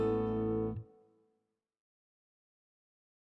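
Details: A strummed guitar chord rings out and fades into silence, with no animal sounds.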